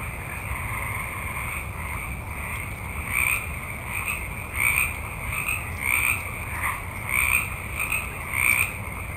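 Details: A multitude of frogs calling at night in a forest: short, raspy croaks repeat roughly every second over a constant, dense chorus of other frogs. A low rumble sits underneath.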